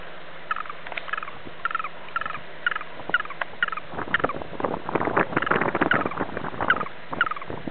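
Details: Green toad giving distress calls in Sulina, Romania, spring 2007: a rapid series of short, squeaky pulsed chirps repeated roughly twice a second, with rustling and handling noises growing in the second half.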